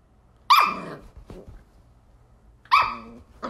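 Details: Shetland Sheepdog chasing a laser pointer, giving two loud shrill barks roughly two seconds apart, each followed by a brief softer huff, with quiet indoor background between them.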